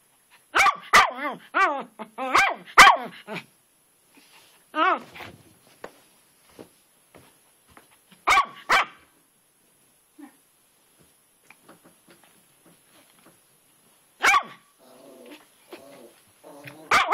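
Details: Outdoors in the rain, a pet dog named Twitch barks at a garden rock as if he had found a ghost; rapid strings of harsh barks, then long pauses and later another burst, with a person speaking softly.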